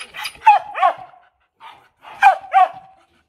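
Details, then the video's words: Vietnamese Mong Coc bitch, fierce-eyed watchdog type, barking to demand something rather than threaten: quick doubled and tripled barks in two bursts separated by a brief pause, each bark sharp with a falling tail. "Chó sủa gâu gâu- con mông cộc"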